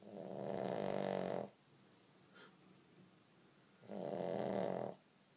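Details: Two heavy, rattling snores from Olly, a pug snoring although not asleep, come about three seconds apart, each a coarse buzzing breath, with a soft short breath between them indoors.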